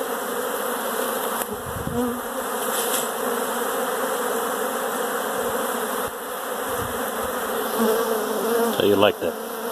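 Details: Honey bees swarming inside a house, their wings blending into a steady, dense, low buzzing hum.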